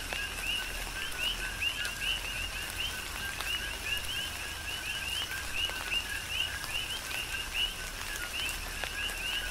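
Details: Coqui frogs calling in a tropical rain shower on the Big Island of Hawaii: a dense chorus of short two-note chirps, a low tone sliding up to a higher one, overlapping continuously, with steady rain and drips throughout.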